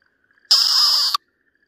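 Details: Okinawa green tree frog screaming in distress while a Ryukyu green snake bites it, recorded 4 March 2023: one loud, harsh, broadband shriek lasting about two-thirds of a second, abruptly cut off, with a faint thin tone continuing before and after.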